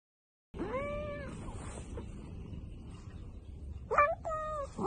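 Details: A cat gives a drawn-out meow with a rising then level tone, followed a few seconds later by two shorter, clipped meows, over a low background hum.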